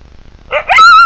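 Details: Wild coyote giving a quick rough yelp that slides upward into a clear, sustained, steady howl, loud and close, over a quiet background.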